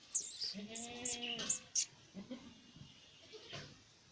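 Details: Newborn goat kid recorded on 13 January 2025, giving one soft, wavering, tonal bleat lasting about a second, followed by a few faint short murmurs, with sharp high-pitched clicks and rustling scattered through the first two seconds.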